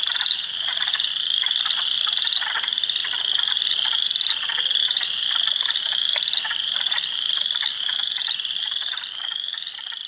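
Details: Spring Peepers, Wood Frogs and Eastern Chorus Frogs calling by the hundreds in a Heartland Forest swamp, Ontario, April 2, 2022: repeated sharp rising peeps stand out above a pulsing chorus of quick croaking trills.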